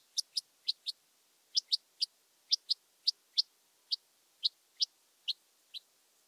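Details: Red-winged grasshopper (Oedipoda germanica) at Mörnsheim, Germany, on 14 July 2023, recorded with an ultrasound detector: short high buzzy clicks, mostly in close pairs, repeated about sixteen times over six seconds with no other sounds.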